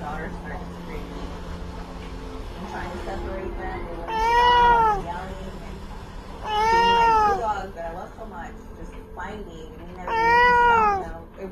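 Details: Pet cat giving three loud, arched meows spaced about three seconds apart, each swelling and dropping in pitch, over a background of human voices talking.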